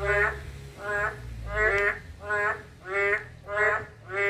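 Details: Harmonic, honking croaks of a narrow-mouthed toad, repeated roughly every 0.7 seconds at a steady pace over a low background hum.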